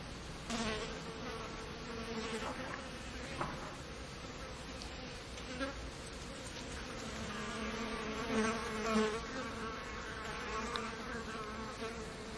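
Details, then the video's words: Multiple flies around a bin, their low humming buzz coming and going in short passes as they fly near and away, over a constant background hiss with occasional soft clicks. "multiple flies buzzing around bin"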